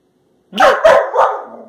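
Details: Labrador Retriever puppies Josie and Jackson, with Jackson struggling to jump high, leaping for a raised banana on March 21, 2018; three quick loud barks run together, the last trailing off.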